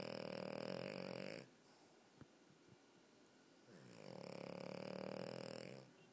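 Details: French Bulldog (Canis lupus familiaris), snoring.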